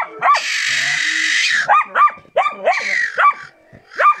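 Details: Karelian Bear Dog during training giving short, sharp barks in quick succession, partly masked by a long hissing noise burst early on and another brief one midway.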